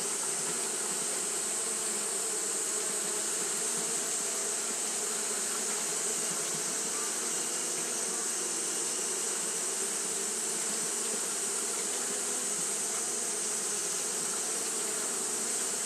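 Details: On a hot day, Japanese honey bees fan continuously; the result is an unvarying, massed hum, low droning bands layered beneath a bright steady hiss from start to finish.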